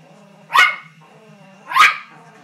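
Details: Poodle indoors barks at a bull shown on the TV, two sharp barks about a second apart over a low steady television hum.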